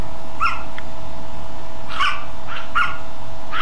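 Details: Two small dogs bark in daylight with short, sharp barks in quick bursts, a few times in a row; the same barking is heard from them at night.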